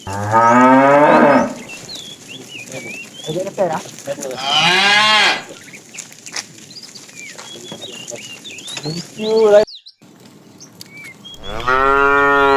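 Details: Afternoon herding of tame cows: a fat cow calls the female with several mooing calls. Some are long and full, others short and dropping in pitch. Birds twitter throughout, with a brief pause in the noise.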